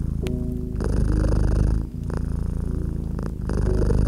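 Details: Feline purr by a gently crackling fireplace, a dense low rumble with brief breath pauses, sharp crackling snaps and soft musical notes layered over it.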